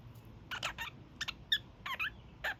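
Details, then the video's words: Young male kakariki kept as a pet, doing his daily evening honks: short, harsh, nasal bursts in quick pairs and triplets, with a low room hum behind. "Kakariki Sounds"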